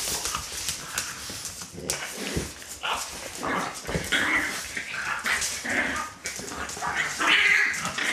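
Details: Puppies from Litter A of Celtic Mist whine and squeal in short high bursts over steady shuffling and scraping. Faint human voices murmur in the background.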